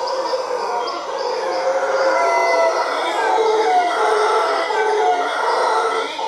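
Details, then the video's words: Howler monkeys in Costa Rica, a treeful calling together: a dense, continuous roaring chorus of layered harmonic howls, mid-pitched and droning, with brief whistled overtones sliding across it. Rain-forest hiss sits in the background. "Howler Monkeys in Costa Rica"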